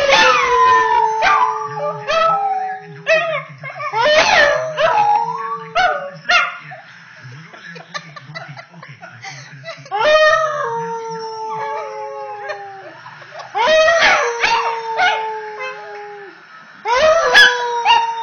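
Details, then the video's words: A female Pembroke Welsh Corgi, nearly 10 months old and just finding her voice, howls in long, wavering, slowly falling notes broken by short yips. "Singing corgi - Jasmina Jazzy Miller Pembroke Welsh Corgi"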